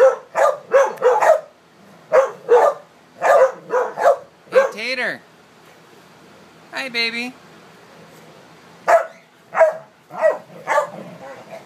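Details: American Staffordshire terriers and pit bull type dogs playing together, giving short repeated barks in clusters, with a couple of drawn-out whining yelps between the bursts.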